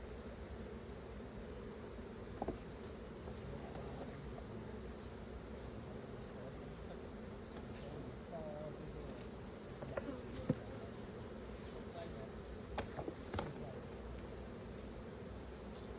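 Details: Continuous low droning of a crowd of honey bees around their hive while honey is being collected, even and unbroken, with a few soft knocks and clicks now and then.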